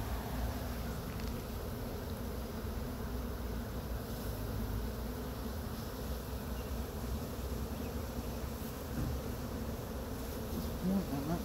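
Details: Honey bee swarm being brushed off a pine tree into a box with frames during swarm catching; a steady, dense low buzzing hum of many bees continues throughout, with faint rustling.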